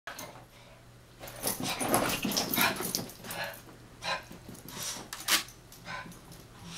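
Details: Two Chihuahuas, Taco and Santi, chasing each other and wrestling indoors: scuffling and rustling bursts with short yips and huffs, uneven and rapid, louder around the middle and near the end.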